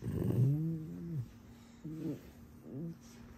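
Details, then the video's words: Alice, a pet fox, playing up indoors, gives a low harmonic whine that slides down and fades, followed by two shorter, wavering whines; the room is otherwise quiet. "Баловство лисы!!!"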